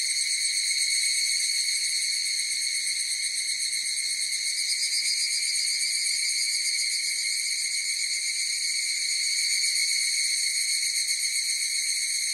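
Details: Higurashi cicadas in chorus give a sustained, bright, high-pitched buzzing ring with several stacked tones. Loudness stays nearly even throughout the clip, with faint swells near the start and end, and no background noise.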